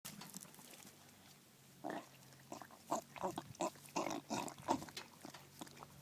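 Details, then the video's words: Daisy, a bulldog eating her first ice cream cone, makes short piggy snorts and grunts. They start after about two seconds of near quiet and come in irregular bursts, several a second, with smacking between them. "Daisy the bulldog being noisy while eating her first ice cream cone."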